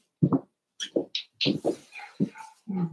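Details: Cavalier King Charles Spaniel puppies at play inside a home puppy pen: deep, gruff little growls and grunts in short bursts, with a hissy scuffle and a higher whine near the end.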